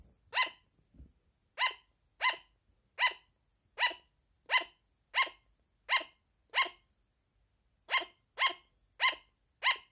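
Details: Clean series of about fourteen sharp, high-pitched barks from a sugar glider, spaced roughly half a second apart with one short gap before the last few, with no other sounds.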